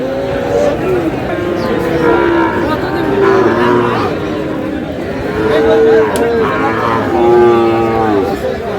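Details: Sahiwal bull calves at a cattle market at the start of trading in Aftabganj, Dinajpur, on 4 August; several long droning moos, some falling in pitch, over a constant crowd murmur and voices.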